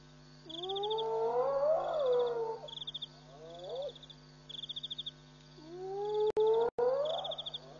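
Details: African civet at night at Pete's Pond, Mashatu Game Reserve, Botswana, 18 June 2013, picked up by a WildEarth live camera: two long wavering, rising tonal cries, each about two seconds, over pulsing insect trills and a steady low electrical hum.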